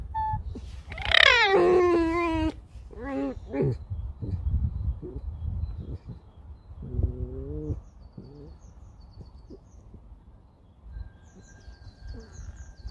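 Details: Alice, a pet red fox, being woken by dogs in the morning: a loud, drawn-out harmonic whine sliding steeply down, then shorter wavering whines, with a person speaking softly and rustling around.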